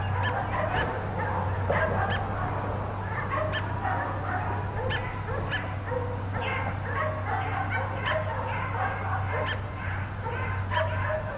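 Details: Four backyard dogs left outdoors all day bark nonstop, with dense, overlapping bursts of barks filling the whole stretch over a constant low droning hum.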